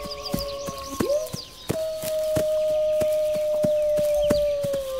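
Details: One wolf's long, steady howl holds almost level for over three seconds before sinking slightly; earlier, faint overlapping howls and high wavering cries, with sharp clicks scattered throughout.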